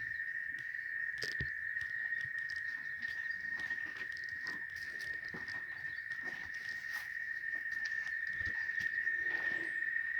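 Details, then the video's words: Cicadas, called chicharras, in Oaxaca: an unbroken, level, piercing buzz dominates, with light patter and occasional clicks and rustles around it. "El Sonido De Las Chicharras"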